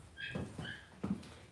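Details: Cavalier King Charles Spaniel puppies raised indoors in a home puppy pen, on a livestream: two brief high, thin whimpering squeaks with layered overtones, then soft thumps and bumps of puppies moving about.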